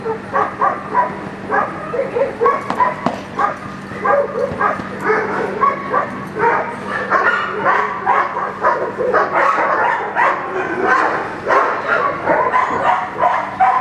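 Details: Echo, a young German Shepherd drilling the Schutzhund 1 blind routine, delivers a long, sustained stream of forceful barks, fast and uneven, barely pausing over the whole stretch.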